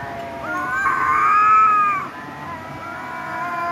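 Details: A cat lets out one sustained, smooth meow lasting about a second and a half, holding steady before tailing off, followed by a fainter, quieter cry.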